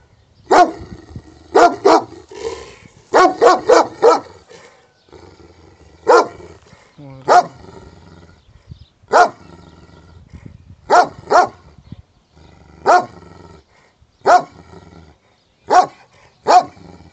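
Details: Wild dog filmed in Pidima, Messinia, Greece, barking steadily: clustered double and triple barks early on, then single loud barks spaced roughly every one to two seconds, with a low hum underneath.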